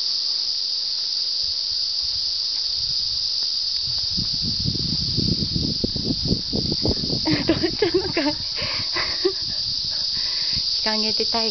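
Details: A summer cicada chorus heard in the cool early hours of a highland run with a Hokkaido dog and a Saluki: a constant shrill buzzing drone, joined midway by rustling, footstep-like thuds and brief tonal squeaks.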